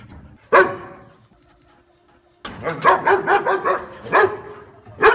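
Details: Dog bark: one loud bark, a silent pause, then a rapid string of about six barks followed by two more spaced barks.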